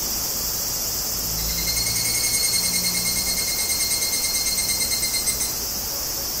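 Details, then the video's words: Tanna japonensis singing in Kobe, Japan, 14 August 2011, on a Zoom recorder: a high ringing tone swells in rapid, evenly pulsed waves for about four seconds, then fades back into a steady insect hiss. "Cicada: Sound comparison between Zoom H2n and H2"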